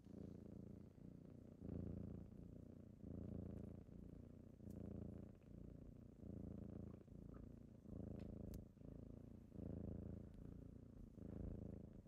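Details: Kittens purring on a typical morning as they wake someone up: a steady low rumbling purr that swells and fades in breaths about every three quarters of a second, with a few faint clicks above.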